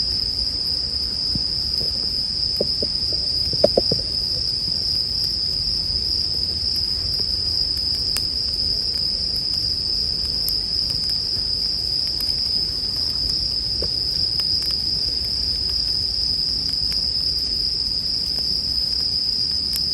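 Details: Bell cricket ringing over a campfire in a calming sleep mix: constant high metallic trilling throughout, a brief burst of louder popping and hissing from the fire early on, then occasional light crackles.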